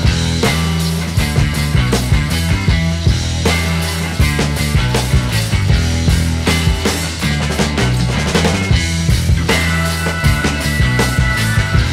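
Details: Loud, driving rock music with heavy drums and distorted guitars fills the whole recording, with no animal sound audible.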